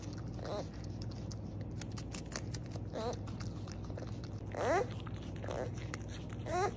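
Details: Beaver uttering a few brief nasal cries, then two louder, quavering, whining screams near the end, each sliding up and down in pitch, against a constant low hum and scattered crunching sounds.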